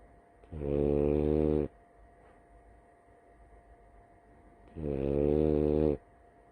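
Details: A female French Bulldog snores during a nap with deep, rumbling breaths about four seconds apart.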